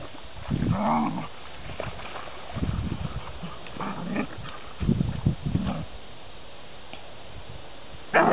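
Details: Piglets recorded in 2009 give short low grunts in irregular bunches. A few higher, tonal squeal-like notes rise above them, and a sharp sound cuts in at the very end.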